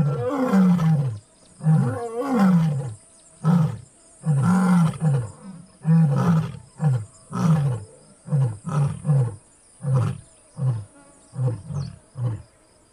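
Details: Casper, a white lion, roars in full voice in deep, throaty bursts that shorten into a series of grunting calls.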